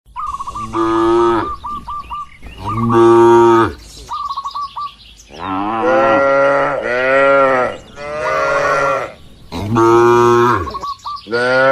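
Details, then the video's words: Tame cattle grazing freely on wide green pasture with a herder in the countryside; several long, deep, drawn-out moos follow one another, some overlapping, with quick repeated bird chirps in the gaps. "Suara Alami sapi & Moo Lucu"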